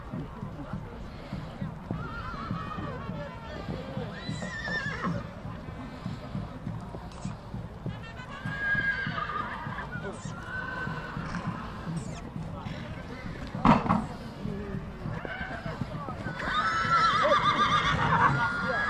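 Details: Stallions at a 2022 gathering from Satu Mare, Bucovina: intermittent whinnies with wavering harmonics rise above constant crowd chatter, with hoof clops and a sharp bang near the middle, the calls growing louder toward the end.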